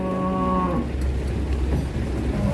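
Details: Raging female cow behaving like a matador's bull, giving a single low harmonic moo under a second long at the start, followed by steady low rumbling background noise.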